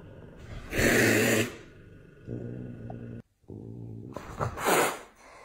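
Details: Big angry domestic cat hissing: two loud, breathy, broadband bursts, one near the start and one near the end, with a low steady growling tone underneath and a short silence between.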